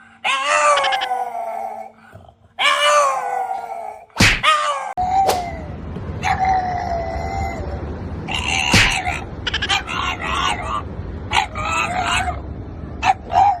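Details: French bulldog 'singing' indoors: two long, wavering, falling wails with rich overtones in the first four seconds, then a sharp break and choppy, broken yelping howls over steady room noise.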